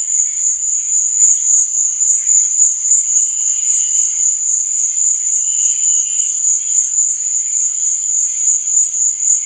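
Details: Crickets chirping at night: a dense, unbroken high-pitched trill that holds steady throughout, with faint softer chirping beneath it and no other sounds.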